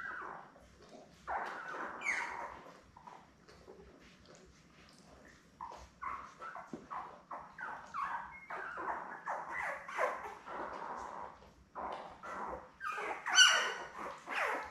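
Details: Newborn Labrador Retriever puppies, born May 24, 2021, in a litter of seven with their mother Belle, on a live puppy cam: a continuous chorus of short squeaky whimpers and yelps from the litter, with occasional louder high cries.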